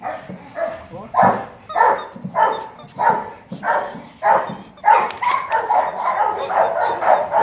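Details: Gold, a 10-month-old male Rottweiler of about 40 kg at Gervi Kennel, barks in short, sharp, repeated bursts roughly every half second while being encouraged to play, with people talking nearby.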